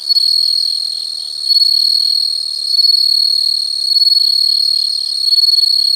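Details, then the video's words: Insects calling outdoors: an unbroken, shrill, high-pitched buzzing trill that swells louder every second or so, with no other sounds. "the sound of insects"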